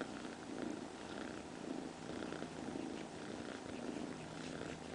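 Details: Domestic cat purring, a steady low rumble pulsing in soft waves about once a second, with faint background hiss.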